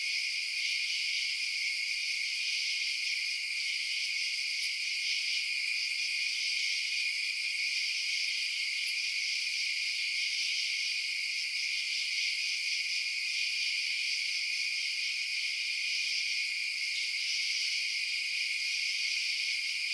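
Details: Night chorus of crickets chirping, an unbroken high, buzzy wall of trills holding steady throughout, with two faint sharp ticks near the middle and nothing in the low range.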